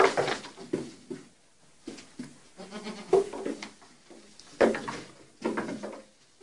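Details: Baby goats at play on a teeter-totter bleat repeatedly: rapid overlapping wavering cries, several kids calling in quick succession throughout, with brief thumps and shuffling between the calls.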